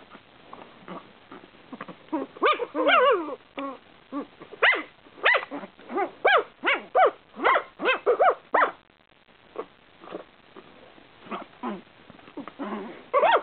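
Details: Two eight-week-old Shih Tzu littermate puppies argue over a person's lap indoors, trading rapid high, harmonic yips and short barks in bursts, sometimes rising then falling, with brief pauses between flurries.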